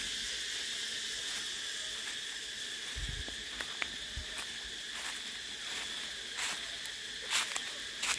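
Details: Cicadas keep up a steady high-pitched whine, somewhat softer, broken by sharp clicks and a few low bumps.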